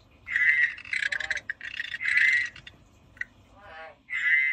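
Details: Frog calling in a rapid run of loud, raspy, bright croaks, several of them run together, then a short pause before a final croak.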